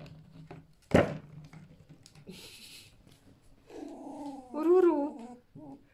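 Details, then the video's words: Captive fiery red fox, a male bought from a fur farm and kept at home, giving a lazy evening 'ururu': a soft, wavering murmur with rising and falling tones near the end, after a sharp knock and some rustling indoors. "Ленивое вечернее уруру"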